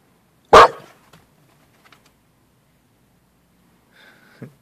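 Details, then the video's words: Pet mini pit bull, one year and seven months old, barking when asked "who's that" indoors: one sharp, loud bark, then near silence with faint taps and a brief soft low sound at the end. "Mini pitbull " who's that""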